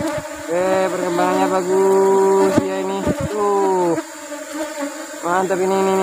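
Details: Asian honey bees (Apis cerana) buzzing during a honey harvest in the rubber-tree flowering season. Loud, droning, pitched buzzes swell and fade as bees fly close, over a steady colony hum, with occasional knocks.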